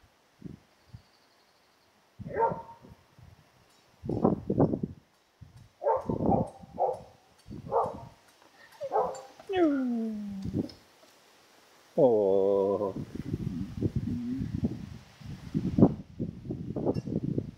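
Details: Female Karelian Bear Dog, June 2016, asking for more friendly attention: bursts of short yelps, then drawn-out falling whines and a long high whimper, followed by a run of quick clipped vocal sounds with soft rustling.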